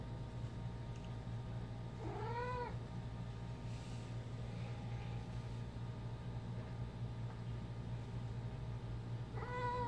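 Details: Ginger, a female pet cat, mumbling while playing fetch with her favourite toy indoors; two short arching meows rise then fall, roughly eight seconds apart, over a steady low electrical hum.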